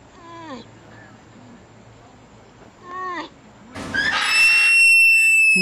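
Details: Crying sloth gives two arched, harmonic bleats roughly three seconds apart, each sliding downward at the end, then a loud, noisy squeal with a thin, sustained high whistle overlaid.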